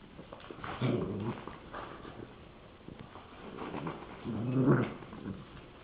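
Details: In 2007, a Rottweiler playing with a popsicle stick gives low, rumbling vocal bursts, two main grumbling sounds a few seconds apart.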